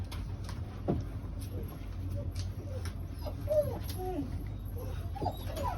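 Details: Australian Shepherd dog indoors, let back inside and finding a bone hung from a ceiling hook; several short, high, bending whines and whimpers over a few seconds, with faint background noise.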